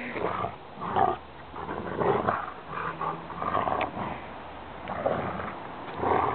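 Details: Two Rottweiler siblings tug and play fight with a rope. Uneven bursts of low, throaty growling rise and fall over several seconds, with a person's encouraging voice in the background.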